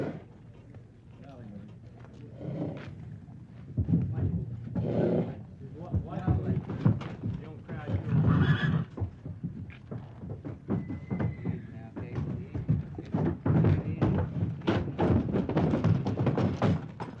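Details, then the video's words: Horses being loaded into a trailer by cowboys at a rodeo: a whinny rises among heavy clip-clop of hooves and thumps, with men talking throughout. "Cowboy Load Horses in Rodeo Sound Effect"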